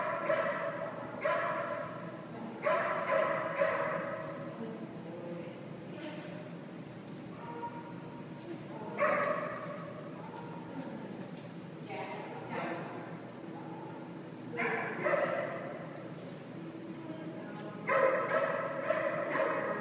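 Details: A dog staying at a boarding kennel while working on down commands, giving loud harmonic barks in short bursts of two to four, the bursts spaced a few seconds apart, with people talking nearby.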